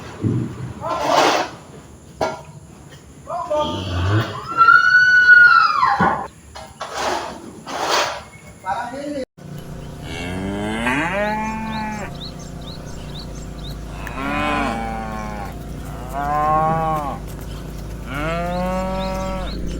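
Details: Cows herded by the dozen in a meadow; a person talks for the first half, then a run of long, harmonic, rising-and-falling moos follows, several calls spaced a couple of seconds apart.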